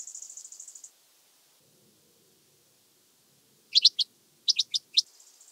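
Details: Red band-winged grasshopper (Oedipoda germanica) recorded at Mörnsheim, Germany, on 14 July 2023; a high, fast buzzing rattle, then a pause, then a few short, sharp clicking bursts.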